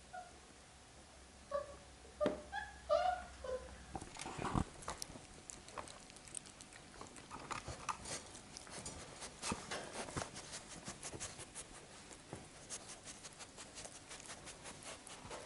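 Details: Labrador Retriever puppies getting used to an indoor kennel, 8 June 2015: a few short, high whimpering squeaks in the first seconds, then a long run of scratchy taps and clicks from movement indoors.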